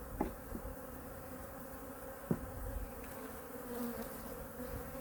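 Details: Colony #2 of honey bees is opened for a weekly winter checkup and feeding. A sustained, humming buzz is heard, punctuated by several brief knocks and clicks from hive handling, the loudest just after two seconds.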